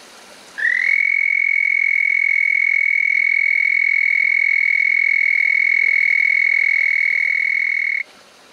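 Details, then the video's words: A frog in a creek by a remote desert canyon camp gives one long, steady, high musical trill that holds an even pitch for about seven seconds. "Frog Song"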